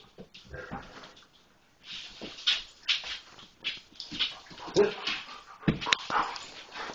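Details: Foster puppy Ru, also called Fluffy, playing with Parker in a kitchen: short broadband yips, grunts and snuffles come in uneven bursts, with scuffling and a brief quiet gap near the start.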